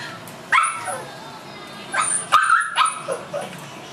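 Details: Seven-week-old Tibetan Mastiff puppy in a breeding kennel, giving a few short, high, squeaky yelps with bent pitch at spaced moments, over a low background hiss.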